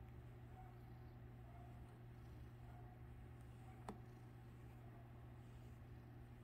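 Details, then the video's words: Purring domestic cat having its tail played with; continuous deep, throbbing rumble rising and falling with each breath, a steady background hum and one sharp click near the four-second mark. "playing with the purring cat's tail"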